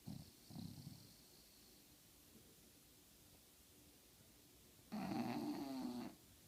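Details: A female English bulldog asleep at her nap makes two brief, gentle snuffling snores, pauses in quiet, then rumbles into one louder, harsh snore of about a second.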